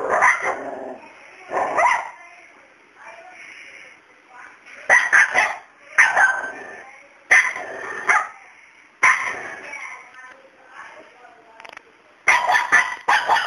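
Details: Dog barking repeatedly at a cat called Miracle, who stays unafraid of him; about eight sharp, harsh barks come in irregular bursts of one or two, with quieter indoor sounds and faint voices in the gaps.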